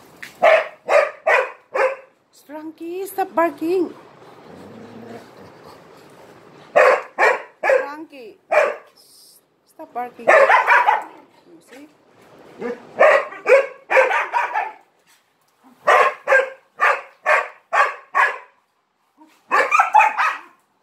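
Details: Attention-seeking dog playing one against three Malinois, barking in bursts of quick repeated barks interrupted by pauses, with a person talking during a gap and a low growl-like stretch near the start.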